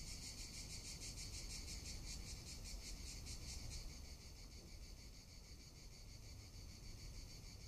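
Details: Summer cicada chorus in Tuscany: a dense, pulsing high-pitched buzz that is loud for the first four seconds, then fades to a softer hiss, with low wind rumble underneath.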